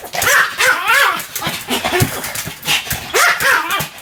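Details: Sam the Pomeranian barking without a break: two bursts of sharp, rising-and-falling yaps, a choppy lull between them, then another rapid run.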